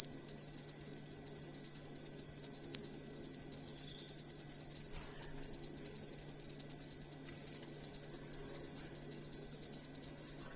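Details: Cricket chirping, kept as a tutor sound for songbirds to copy; a piercing high trill broken into rapid regular pulses, continuous from start to end, over a quiet low background hum.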